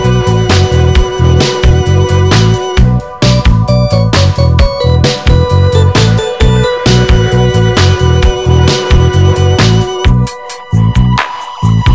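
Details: Loud funky instrumental music with heavy bass and punchy beats plays throughout, briefly thinning out near the end, and no animal sound is heard.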